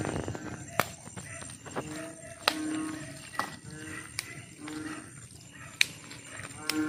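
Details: Frogs calling at night: low, nasal, moaning notes about half a second long, repeated every second or so, with occasional sharp clicks over a steady background hiss.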